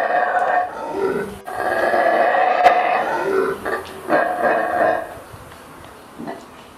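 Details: Mantled howler monkey, known locally as saraguate, in Central American rainforest: deep, rough roaring bouts with harsh buzzy tone, rising and falling over several seconds, broken by short pauses and fading into softer grunts near the end.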